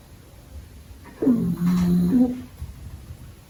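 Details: A pug puppy sleeping and dreaming during the day snores once, a low rumbling breath with a nasal, slightly whistling tone.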